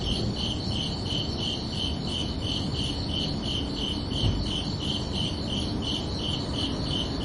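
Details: Night chorus of crickets on a summer evening, chirping in an even, rapid series of short high pulses, several each second, steady throughout above a faint low hum.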